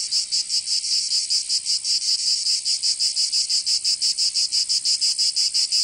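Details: Summer cicada chorus in Provence, southern France, a shrill high-pitched buzz broken into quick regular pulses, roughly three per second, continuous and unaccompanied.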